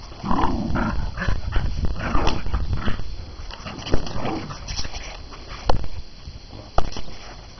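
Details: A pet dog named Pitt growls in low, rough rumbling bursts through the first half, then quieter grumbles with a few sharp knocks near the end; muffled background noise throughout.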